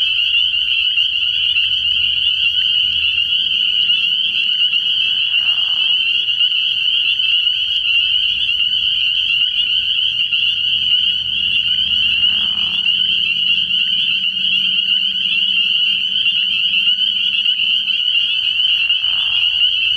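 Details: Early-year night at a frog pond, where a massed chorus of spring peepers keeps up a constant shrill peeping; short lower trills recur about every seven seconds, and soft deep croaks hum beneath.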